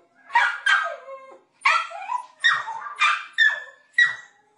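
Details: Dog barking loudly and excitedly, about one bark per second, each bark a harsh burst that drops into a whining, falling tail, in pairs and singles with nothing else heard.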